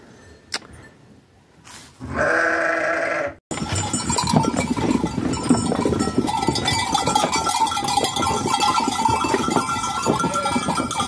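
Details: Farm sheep among lambs: a single harmonic bleat lasting over a second, followed by steady rustling and handling noise.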